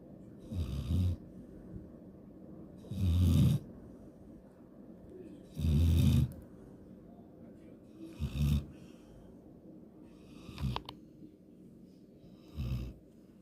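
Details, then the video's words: Sleeping golden retriever snoring in rough, low rumbling breaths, about one snore every two to three seconds, each a short raspy burst separated by quiet pauses; no other clear sounds. "강아지 코골이 옛날에는 더 심했음"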